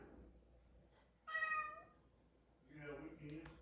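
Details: Orange cat indoors, hesitant and needing encouragement to come up the stairs, gives one clear, tonal meow lasting about half a second, with a person calling to it before and after.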